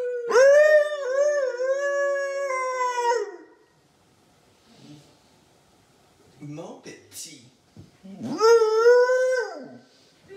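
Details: Loki the Siberian husky howls with his owner in the morning; a long warbling howl, a quiet stretch with faint voices and small noises, then another rising and falling howl.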